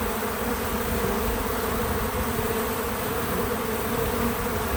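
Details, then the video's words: Bees working a feeder, no music or narration: an even, low buzzing drone holding steady throughout with faint background hiss. "Bees in Slow Motion at the Feeder 🐝 | Natural Buzzing Sounds"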